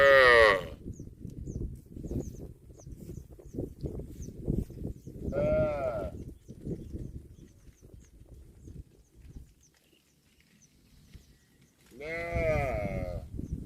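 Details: Tame cattle from a herd grazing in a green field give three drawn-out moos, at the start, near the middle and near the end, with steady rustling and munching between the calls.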